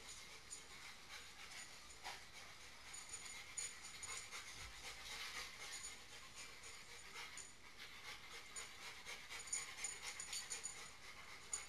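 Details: Wet dogs indoors after coming in from the snow, running through a house and rubbing on a couch; soft breathy panting bursts repeat about twice a second over a steady high electrical hum.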